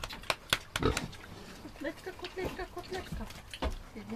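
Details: Growing piglets eating with relish, giving a run of short, low, rough grunts and snuffles at an uneven quick pace, mixed with chewing noises, a few sharp clicks and knocks, and some human speech.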